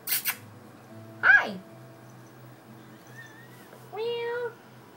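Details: Pet cats indoors; one short, drawn-out tonal meow near the end, slightly falling, with a brief sharper cry earlier, a thin whistled tone in between, and a low steady room hum throughout.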